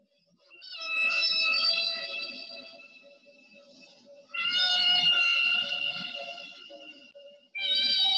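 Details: Humpback whale singing three long, harmonic wailing units, each held for about three seconds with rich overtones, separated by brief pauses.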